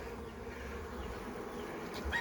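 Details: Calm honey bees at a garden beehive, cool overcast spring weather, as a beekeeper fits a honey super: a brief, even, low-pitched hum of many bees with a faint tap near the end.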